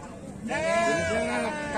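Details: Sheep from the exotic category at the 2021 Sakub sheep festival in Brebes Regency, Indonesia, described as crossbred with local sheep, giving one loud, sustained, tremulous bleat lasting over a second, with voices of people nearby.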